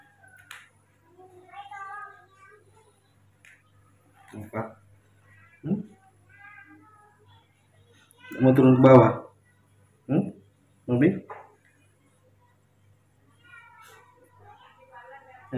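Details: Baby monkey Mobi, a hand-reared youngster, angry one morning when told to walk on the floor. Short whining, harmonic squeals come in several bursts amid human speech, with loud thumping and handling noises in a small room.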